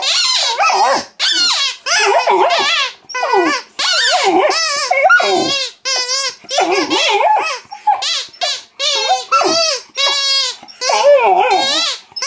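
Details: Female mastiff puppy squeaking back at her squeaky toy indoors: bursts of high, wavering squeals and whines, some rising and falling in pitch, nearly continuous with short pauses over about twelve seconds.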